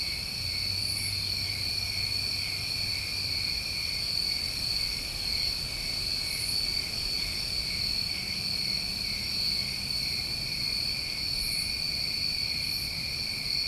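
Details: Dense summertime cricket chorus recorded in New England: steady, ringing high trills on two levels throughout, with sporadic hissing bursts above and a faint low hum early on, then a soft low tone later.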